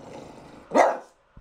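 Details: French Bulldog indoors in a bathroom, barking on command before a bath; one short hoarse bark rises out of quiet room noise, with a man's voice giving commands nearby.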